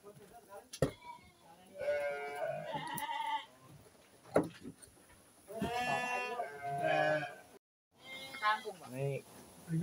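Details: Sheep during a health check at Selanjam Farm, Cokro, Grabag, on 24 May 2022: several nasal, quavering bleats in short bursts, overlapping with human speech and some music.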